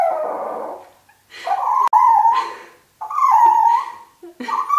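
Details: Toy Fox Terrier dogs reacting to a turtle they are meeting for the first time, louder once it leaves its shell; sustained, bending whining howls, four or five stretched cries with brief breaks between them.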